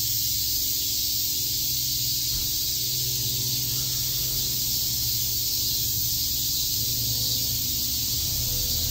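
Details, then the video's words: Cicadas chirping in Shakujii Park, Tokyo, on a summer day: a steady high-pitched buzzing chorus dominates, with low humming tones and faint background noise underneath. "Cicada chirps"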